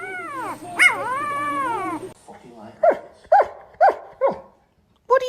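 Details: Pet dog 'talking' back at its owner: a long wavering, howl-like moan rises and falls for two seconds, then a string of four or five short, sharp yelping barks spaced about half a second apart.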